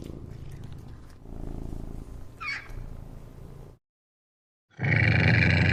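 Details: A rare cat purring with a low, steady, throbbing rumble for several seconds and a brief higher sound partway through, then silence and a sudden loud, harsh, noisy rumble.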